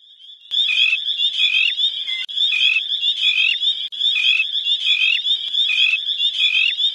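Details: A dense chorus of dozens of spring peepers in spring at Crex, high clear peeps overlapping in a steady ringing wall of sound.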